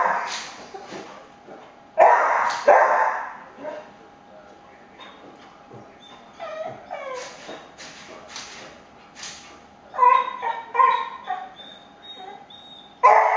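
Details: Cocker spaniel freaking out as blinds are moved: bursts of loud, harsh barks with short yips and whimpering tonal cries in between, mixed with rattling and clicking from the blinds.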